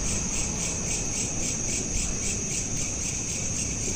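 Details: Crickets at night, smartphone recording in a loop: clear shrill pulsed chirps about four per second, very even and continuous, over a soft low background hum.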